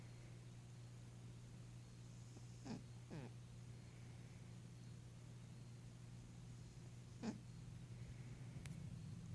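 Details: An 11-year-old female Maine Coon cat, who has hyperthyroidism and kidney disease, snores while asleep and dreaming, with a steady, low rumbling hum and a few soft clicks.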